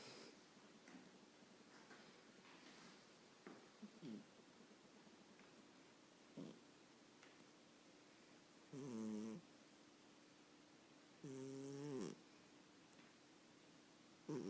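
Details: Chinchilla Persian cat snoring while asleep and dreaming indoors: faint soft breaths, then two longer nasal, buzzy snores a few seconds apart, and a small sound at the end.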